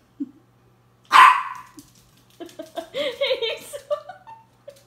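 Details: Miniature Pinscher giving a single loud, sharp bark after a soft yip, then a run of drawn-out, wavering tonal sounds that rise and fall over about two seconds, above a faint steady low hum.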